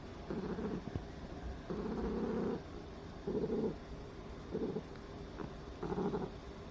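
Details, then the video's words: Ragdoll cat Nuonuo, indoors, purring hard while acting affectionate after sniffing her owner on arrival home; low rumbling purr in rhythmic bursts of about a second, alternating with quieter gaps, steady room hiss behind. "猫主子查岗铲屎的 后奖励发嗲 狂打呼噜"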